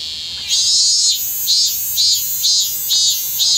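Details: Late-season minmin cicada singing in Kanagawa, Japan, on 25 August 2010: a high, shrill, rhythmic song of repeated pulses, each loud burst lasting about half a second and returning roughly once a second over a continuous buzz.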